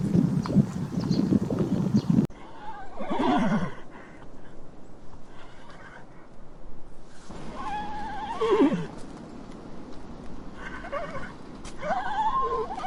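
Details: Horse neighing: a low rumbling, breathy passage opens, then three separate whinnies follow, each a wavering, shaky cry that rises and falls and trembles toward its end, spaced a few seconds apart.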